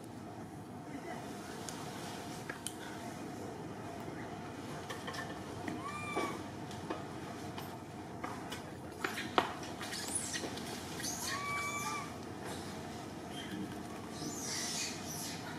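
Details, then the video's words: Young orphaned monkey Martin sobbing to call Malida, giving two short arched whistling cries several seconds apart amid clattering, knocking sounds and a constant low background hiss. "Little Monkey Orphan Martin Sobbing To Call Malida"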